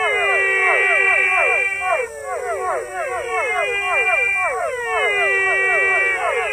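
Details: Unnamed rare frogs calling together: rapid series of bent, falling, richly harmonic notes from overlapping callers, roughly four per second, broken into bursts a few seconds long, with a steady high tone in the background.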